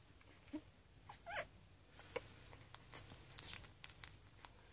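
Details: A puppy gives a few short, high, rising whimpering squeaks over the first second and a half, then falls quiet as soft scattered clicks and rustling continue close by.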